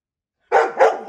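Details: A dog barks loudly after a moment of silence: three sharp, harsh barks in quick succession within under a second, each rough and mid-pitched, with no other sounds around.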